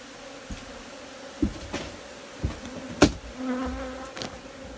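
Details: Constant low humming of honey bees underlies a series of sharp knocks and taps about once a second, with one louder crack near the middle.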